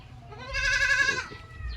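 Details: Kept goat giving a single drawn-out, quavering nasal bleat of nearly a second, rich in harmonics and falling slightly at the end, with low background rumble.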